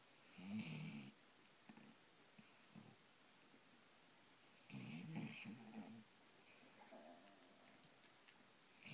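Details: Sleeping Basset Hound among puppies snores softly, low rumbling snorts in two main bursts about four seconds apart with faint smaller breaths between, in a quiet room.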